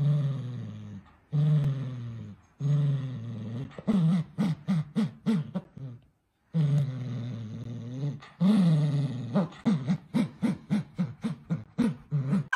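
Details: Playful Dachshund puppies growl in long, low, droning bursts, each separated by a short pause, then break into rapid sputtering growl pulses several times a second, recorded inside a small room.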